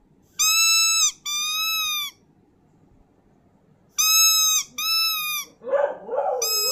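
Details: Howling dog giving pairs of long, level, high whining tones separated by a pause, ending with rougher lower yelping sounds mixed in.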